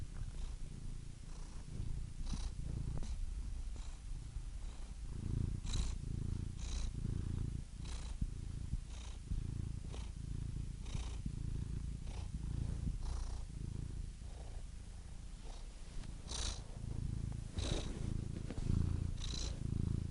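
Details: Domestic cat purring steadily: continuous low rumbling throb with a slow in-and-out rhythm, breathy bursts roughly every second, no other sounds.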